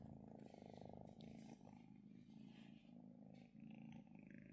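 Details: Female pet kitten purring while being petted and relaxing: a low, steady rumbling purr rising and falling in breath cycles of about one second, with soft rustling above.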